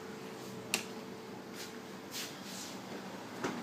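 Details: Quiet indoor room tone with a steady low hum, broken by a couple of sharp snapping clicks and soft rustling thuds, and no animal voice.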